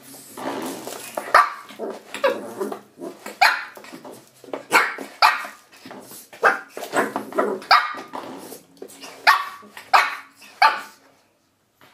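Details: Shih Tzu puppy indoors attacking a door stop; rapid high yappy barks and growly yelps, repeated roughly every second, ending in silence.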